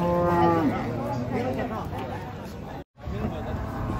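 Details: Cattle turning wild as they come off a truck: a brief, strong moo that slides downward in the first second, then fainter bellowing mixed with voices, a short dropout, and continuing crowd noise.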